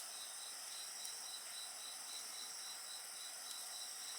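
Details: Insect voices are heard near a bonfire: a bright, unbroken high chorus carrying a quick, evenly pulsed trill, with faint crackling from the fire.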